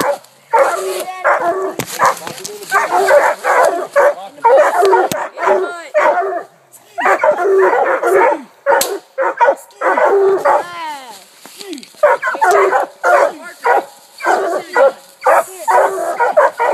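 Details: Four coonhounds (two walkers, a bluetick and a black and tan) hunting at night, treeing a raccoon eight minutes after release. Dense, overlapping baying barks come in rapid bursts with short gaps, and several dogs chop over one another.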